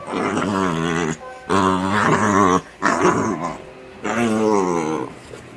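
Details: Yellow Labrador Retriever puppy, happy and playful, giving loud, long, wavering grunts of roughly one to one and a half seconds, three in a row with brief pauses, indoors with music.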